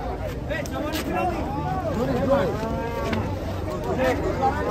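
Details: Giant sacrificial cattle being unloaded from a truck give bending, wavering moos under steady crowd chatter. The calls rise and fall in arcs several times across the stretch, with people talking throughout.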